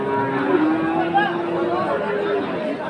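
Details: A single long, level moo from a Friesian or crossbred heifer calf at Aftabganj cattle market in Dinajpur, March 22, 2023, held for nearly three seconds beneath a constant murmur of market voices.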